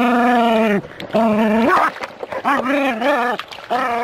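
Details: Jack Russell Terrier playing with water from a hose, giving drawn-out, tonal, whining growls that waver up and down, about four in a row with short breaks between them.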